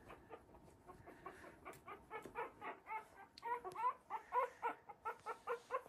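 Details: Litter of 3-week-old Havanese puppies from the "January Storm" litter playing in a newly expanded whelping box; rapid run of short high squeaks and yips, many overlapping, building in loudness through the clip.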